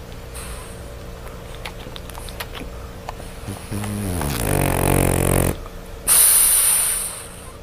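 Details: Sleeping French Bulldog Lola snores indoors: faint sniffs and clicks lead into a loud rattling snore that falls in pitch and holds about two seconds, then a pause and a sharp hissing breath.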